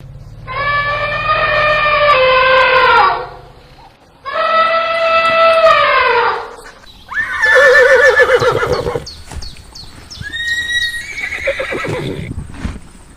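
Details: Horse neighing: two long harmonic whinnies of about three seconds each, wavering then falling in pitch, followed by shorter shaky, descending whinnies with quavering tremolo, a faint low hum beneath.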